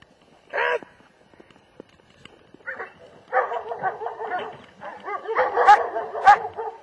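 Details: German Shepherd giving a single loud bark, then a burst of rapid, rough overlapping barks building in intensity toward the end.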